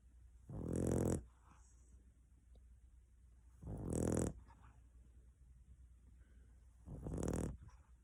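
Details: Sleeping pet dog snoring loudly indoors in a small room: three deep, rasping snores, each lasting under a second, repeating roughly every three seconds with quiet breathing between them.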